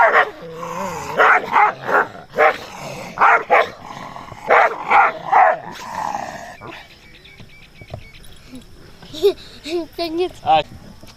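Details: Dogs reacting to a stranger with repeated loud, uneven barks over several seconds, then quieter yips and short whining barks near the end against a faint background.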